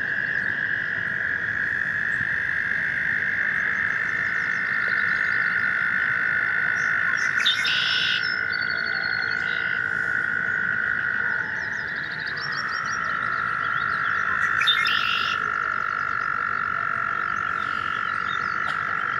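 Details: American toads breeding in a watercourse each spring, trilling to attract mates: overlapping continuous trills at slightly different pitches, one dropping lower midway, with brief bird chirps twice.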